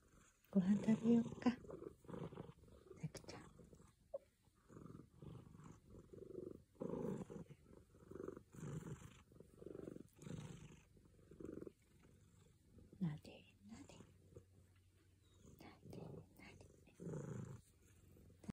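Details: A tuxedo domestic cat, just waking and kneading, gives a deep, steady purr that swells and fades every second or two, while a woman murmurs softly; birds are heard calling on a warm day.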